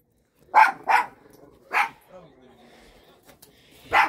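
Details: Pet dogs at home keep barking after being told to stop: sharp, short barks, two in quick succession, then one more and a final bark. A person's exasperated voice is heard between them.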